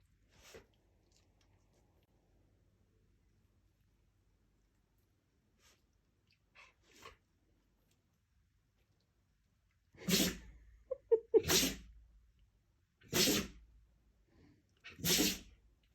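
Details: Siberian Husky sneezing: after a long, nearly silent stretch with a few faint soft noises, four sharp, breathy, broadband bursts come in quick succession over the final six seconds, each about half a second long.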